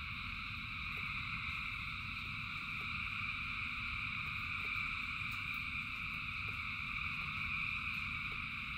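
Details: Masses of frogs calling in the rain form a seamless, ringing high-pitched drone in layered bands, steady in volume, backed by the low hiss and patter of rainfall.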